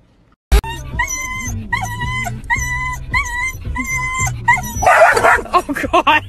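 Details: Puppy howling in a compilation of cute puppies; a series of about six wavering, tonal howls with stacked harmonics, each under a second and roughly evenly spaced, then a burst of noisier yips and human voices at the end.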